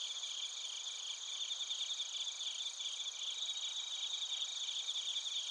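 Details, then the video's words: Chorus of crickets, including bell crickets, at Narita in Chiba Prefecture, Japan: shrill, evenly pulsed high chirps layered over a constant insect hum, several callers overlapping throughout. "スズムシとコオロギの鳴き声 - Chirping of crickets"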